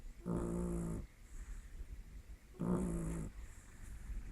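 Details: Snoring from Lily, a pet dog: two long, gravelly exhalations with a faint humming tone, separated by a quiet pause of about one and a half seconds.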